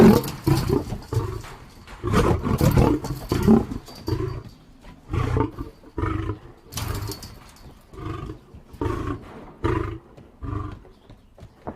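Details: Lion roar beginning with loud, rasping full-throated calls, then trailing into a sequence of shorter deep grunts that gradually fade and space out.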